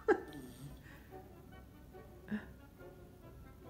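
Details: A quiet indoor room with low background hiss, broken by a sharp click at the start and a soft thump just after two seconds.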